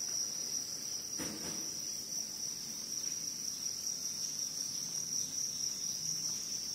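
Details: Cricket giving a continuous, steady, very high-pitched ringing trill that holds one even tone throughout, with a brief soft knock near the start and a faint background hiss.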